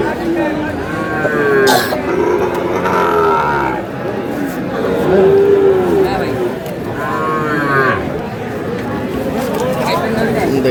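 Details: Sahiwal cattle at a busy cattle market in Kurigram where bull calves are sold, 3 March: several drawn-out, tonal moos, some sliding downward, recur through the clip over a steady murmur of crowd chatter.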